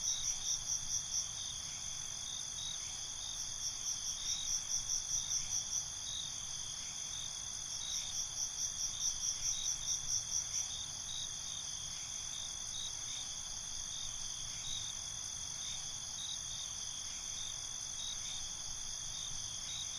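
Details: Crickets at night: several bursts of rapid pulsed chirping over a steady high-pitched ringing trill during the first half, then the trill goes on alone and more quietly, with faint low rumble throughout.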